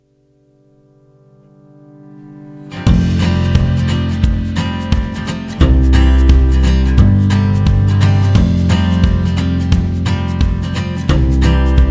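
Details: Plucked guitar music fades in, then a steady strummed tune plays with no animal sounds.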